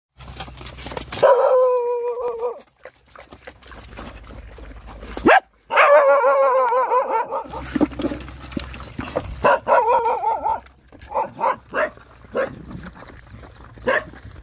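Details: Hungry Rottweiler puppies nursing from their mother, giving high, wavering whines in stacked harmonic bursts lasting a second or more, with pauses and scattered shorter squeaks and clicks between them.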